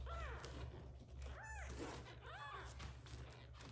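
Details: Little kittens meowing loudly after waking, calling their adoptive mother cat to come back and feed them; three high, arched meows that rise and fall, roughly one per second, over a steady low indoor hum.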